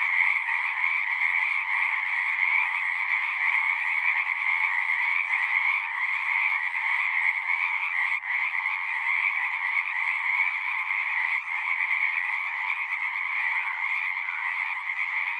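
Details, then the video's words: Singing frogs in a dense, unbroken chorus: a steady trilling drone in two bands, one high and one a little lower, with a faint click near the middle. No other animals or people. "One hour of singing frogs."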